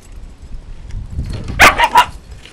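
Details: Shiba Inu, one of a pair of dogs out on the home grounds for a shiitake harvest that doubles as recall training; two short, sharp barks close together near the end, after a quiet stretch with a woman calling.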